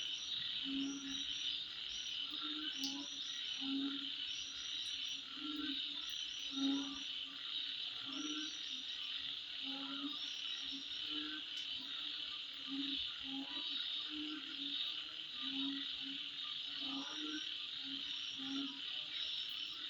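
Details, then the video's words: Insects calling at midnight: a dense, unbroken high-pitched shrilling chorus fills the whole recording, with short low croak-like notes pulsing underneath roughly every second and a faint higher chirping trill layered above. "Sound Of Insect At Midnight"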